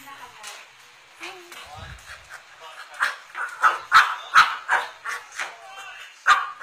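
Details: Cocker spaniel wanting a Yakult bottle: quiet shuffling and soft murmurs at first, then a run of quick, insistent barks and yips, about eight in three seconds.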